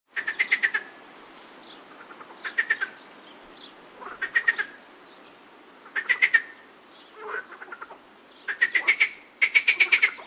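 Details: Frogs with birds in the background: short pulsed croaking bursts, each a rapid rattle of clicks about half a second long, repeated roughly every two seconds with quiet gaps between, plus faint higher chirps.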